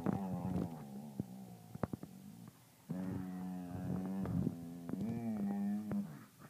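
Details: Two border collies, Theo and Carson, making seal-like sounds indoors: low, steady, droning moans with a strong harmonic buzz, in two long bouts of about two and three seconds separated by a short pause, with sharp clicks and taps scattered throughout.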